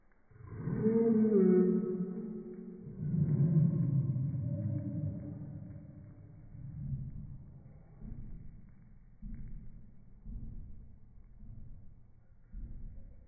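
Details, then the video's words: Chihuahua bark played back in slow motion: a drawn-out, deep groaning tone with stacked harmonics swells over the first five seconds, then fades into a series of softer, lower rumbling pulses. "Slow motion chihuahua bark"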